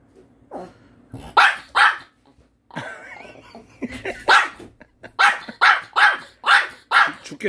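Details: Puppy barking at its owner, scolding them for not sharing a Korean melon; bursts of sharp barks, several in quick succession, mixed with a person's voice talking and exclaiming between them.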